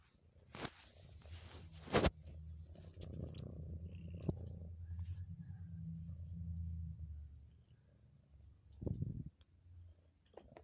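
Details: Cheetah purring steadily while getting close to the camera; a continuous low rumbling purr runs from about one to seven seconds, with a few sharp knocks and handling noises before and after.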